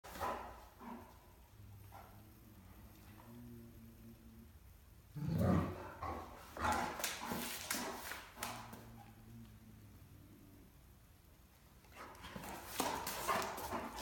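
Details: A female Great Dane puppy, play-bowing and trying to get a cat to play with her, gives low, groaning, talkative vocalizations with a few sharper bursts between them.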